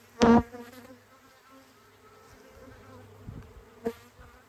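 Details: A huge swarm of honey bees flies through the air on its way to a new home, a low steady hum with one loud buzz as a bee passes close.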